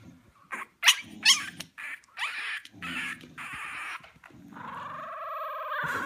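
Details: An English Bulldog puppy makes squeaky, warbling whines and grumbles in short bursts, likened to a mogwai singing, with a person speaking.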